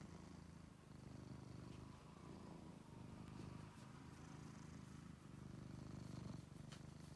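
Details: Angelus, a male cat once found sick and extremely thin in a basement, now a sweetheart pet, purring steadily in a continuous low rumble with rhythmic pulses and slight rustling.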